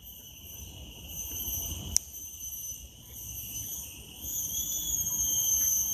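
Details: Cicadas in a park in Singapore produce a loud, unbroken metallic whine with several steady high tones layered together.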